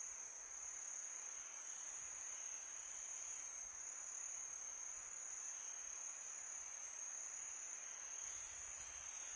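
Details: Summer-night crickets keep up a continuous piercing trill, loudest in a narrow high band, with light shimmering swells and a low breezy wash throughout.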